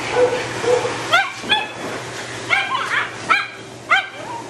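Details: Matted Shih Tzu being dried and de-matted, a dog with no tolerance for discomfort that bites when in pain; five sharp, harmonic yelping whimpers come in short bursts roughly every second over the steady hum of a dryer.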